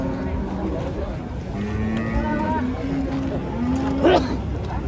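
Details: Cattle coming down off a truck, one animal with crooked legs: a long, low, steady moo holding for over a second, then a short higher call, with people's voices and music behind.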